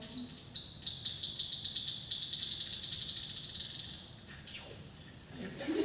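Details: An Austin bat's echolocation clicks, slowed down, speed up into a rapid terminal buzz as it closes on a spider; the buzz means the bat is eating.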